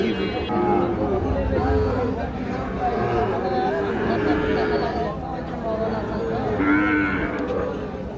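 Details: Small Sahiwal bull calves at the Ambari cattle market in Parbatipur, Dinajpur, Bangladesh, on 1/10/25, where buyers from Dhaka bargain; drawn-out lowing moos rise and fall several times over a steady bed of crowd chatter and haggling voices.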